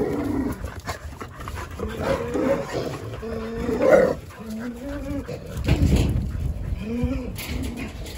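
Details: Several Jindo dogs playing on a chilly December Saturday morning in winter, the day of a World Cup round-of-16 advance; bending, whimpering whines rise and fall in short tonal bursts, with scuffling and rustling beneath.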